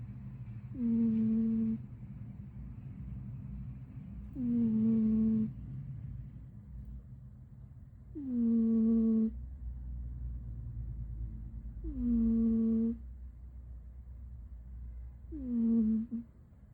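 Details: 77, a pet cat fast asleep, snoring: five smooth, tonal, humming breaths with faint overtones, each lasting about a second and recurring roughly every three and a half seconds, over a low, steady background rumble.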